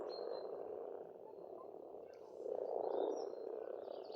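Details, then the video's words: Pond frogs calling in a thick spring chorus on an Estonian farmstead, the rapid purring croaks swelling strongly in the second half, with a few thin high bird notes on top. "Расслабляющее пение птиц и лягушек, весна, природа."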